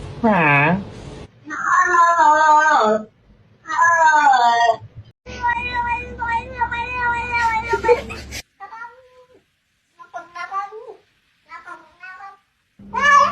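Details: Domestic cats and kittens meowing in a talkative compilation: a series of drawn-out, wavering harmonic meows, some rising then falling, separated by short silences, with a few softer, shorter mews near the end and a little human speech.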